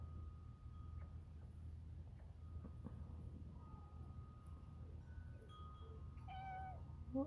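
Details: Domestic cat meowing outdoors at bedtime on January 19th 2023 as small birds are fed, asked whether it is starved; one clear drawn-out meow near the end, fainter ones before it, over a low steady hum and a thin tone.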